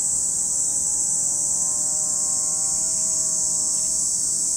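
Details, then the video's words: Cicada chorus at Lake Kamo, Sado City, in Japan's Niigata Prefecture: a continuous piercing hiss fills the air while a faint humming engine tone drifts underneath, slowly sliding in pitch. "Lake Kamo in Sado City, Niigata Prefecture, Japan, where you can hear the voice of cicadas."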